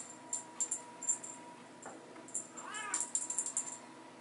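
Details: Playing Bengal kittens in a hallway, teaser time with mom; a short, arching meow sounds past the midpoint, set among repeated tinkling, rattling bursts from the toy.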